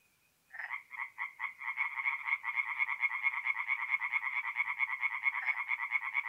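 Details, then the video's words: Tree frogs singing at night at a forest pond in mid-April, North-East Italy: after a half-second of silence, rapid pulsed nasal croaks begin and merge into a fast, steady rattling chorus, several calls per second, with no other sounds. "relaxing forest pond by night with singing tree frogs"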